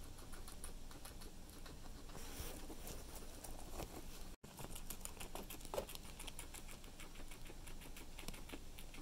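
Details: Guinea pig eating cilantro: steady rapid crunching clicks, crisp and dense, with a brief silent gap near the middle, in a quiet indoor setting.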